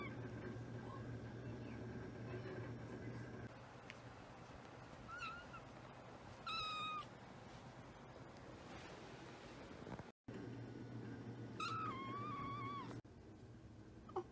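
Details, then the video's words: A kitten gives several short, high, wavering meows, some rising then falling, in two bursts separated by quiet stretches, over a steady low hum and faint room noise. "the kitten's precious noises"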